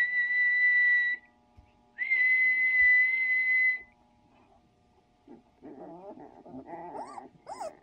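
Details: Sixteen-day-old puppies: a steady, high, whistle-like tone sounds twice, then several short, wavering, rising-and-falling whimpers and squeals follow in quick succession near the end.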